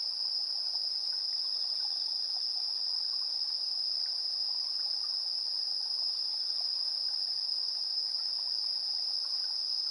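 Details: Insects calling at 7:04 PM on 3 September 2022, recorded in stereo with a TASCAM Portacapture X8: a constant sharp trilling band stays unchanged from start to finish, above a quiet bed of soft, irregular lower chirps.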